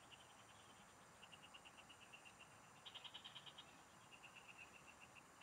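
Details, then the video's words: Frogs singing in rural fields, recorded while fishing: faint trains of rapid, evenly pulsed high notes, several overlapping, with a louder, brighter pulsed burst near the middle over a steady hiss. "Pikinggan mo Ang MGA huni Ng MGA Palaka SA bukid| Relaxing Frog Singing"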